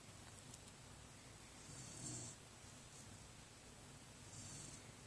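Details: Brynn, a dog sleeping warm under her blanket, snores softly: quiet, slow breaths with a faint low rumble, one swelling clearly near the middle, over a steady background hiss.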